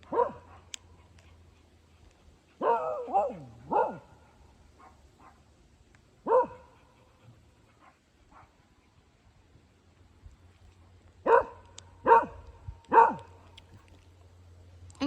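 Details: Hugo, a dog, barking at a tractor: sharp harmonic barks in a quick burst of three, a lone bark, then another run of three, over a steady low engine hum, with a person scolding in Filipino nearby.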